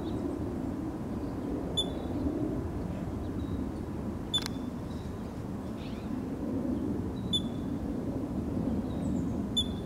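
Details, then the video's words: A ground squirrel gives loud, sharp, high single alarm chirps every few seconds over a steady low rumble, likely after seeing or hearing a hawk nearby. Foraging quail ran for cover at the call. "Squirrel sounding a call of alert"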